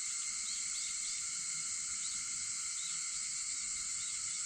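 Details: Cicada voices shortly before five in the morning on August 4 make a steady, piercing buzz. A few faint short chirps break through the drone.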